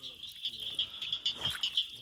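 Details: Cricket frogs call in southern Georgia with quick, sharp clicks, like pebbles tapped together, over a steady high ringing; barking treefrogs nearby.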